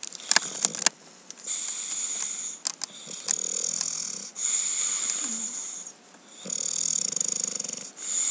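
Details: English Bulldog named Cookie snoring while asleep indoors: hissing, wheezy breaths in long bursts of about one to one and a half seconds, separated by short quiet gaps, with a few faint clicks and rustles.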